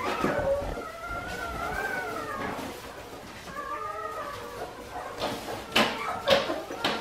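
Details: Five-week-old Australian Shepherd puppies from Priscilla's litter, indoors on an Oklahoma breeding farm, give long wavering whines that rise and fall and overlap, two bouts in the first four seconds, followed by knocks and clatter.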